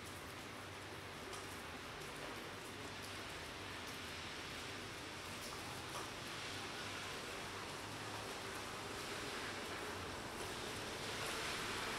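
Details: Continuous broadband hiss like steady rain, with no clear animal sounds.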